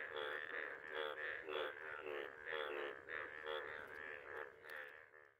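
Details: Frogs in a village pond after rain call and mate in a dense, throbbing chorus, overlapping trilled croaks swelling and fading every second or so.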